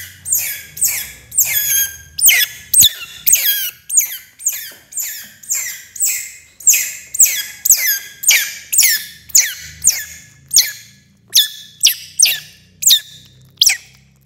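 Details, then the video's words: A young otter at its first meal of fish cries out in rapid, piercing squeaks, each note dropping in pitch, repeated steadily about twice a second over a quiet low rumble. "What a crazy sound! baby otter eating fish for first time"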